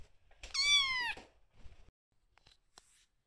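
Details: A single bright, high meow, held briefly and strongly, from the cat room where rescued kitten Aira first sleeps with cat Shipi, followed by faint rustles and quiet.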